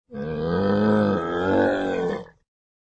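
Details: Camel, named in Indonesian as unta, giving a single drawn-out groaning bellow about two seconds long, low and harmonic-rich with a slight wavering rise near the end; no other sounds.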